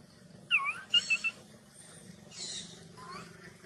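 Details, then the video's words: A baby macaque shouts loudly in anger at its mother's refusal to nurse: sharp, piercing squeals in quick bursts, then a harsher noisy cry and a final rising wail, over faint low hum. "The mother monkey refused to give the baby monkey milk, the baby monkey got angry and shouted loudly"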